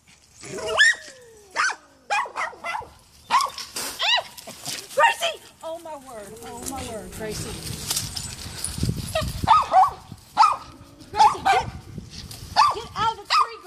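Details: Sharp repeated yaps from Gracie, a Poodle who climbed the neighbor's tree after Allie the cat, come in irregular bursts mixed with whining slides and rustling, with human voices in the middle.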